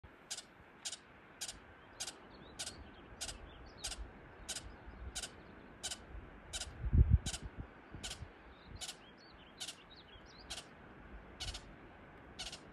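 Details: Ground squirrel giving sharp, high chirps repeated steadily about every half second, over a low rumbling background with a brief thump midway.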